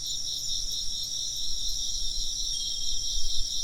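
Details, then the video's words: Continuous high insect trilling in stacked pulsing bands, a faint ringing tone near the top of the chorus, and a louder low rumble in the background. "風鈴の音と虫の声 - wind chimes and chirping insects"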